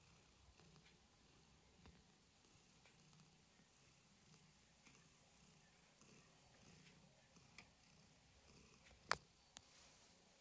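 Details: Domestic cat purring in the morning: a soft, low rumble that swells and fades in repeated breathing phases, very quiet throughout, with a few faint clicks and one sharp tap near the end.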